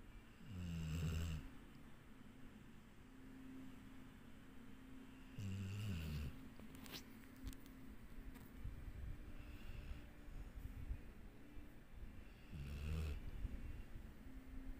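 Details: Dixie, a sleeping dog, snoring: low rumbling snores in bursts about every five to six seconds, each a short guttural rattle, over a steady low hum.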